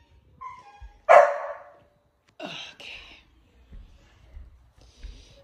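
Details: Dog in morning angst letting out a sharp, loud bark-like yelp that fades, then a short, rough double grumble, with faint faraway sounds and soft rustling afterward.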